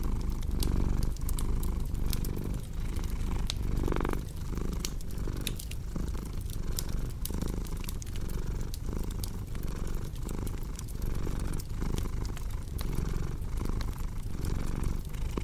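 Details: Pet cat's rumbling purr, low and even, swelling and easing in regular breaths, while firewood crackles and pops throughout, for calm and deep sleep.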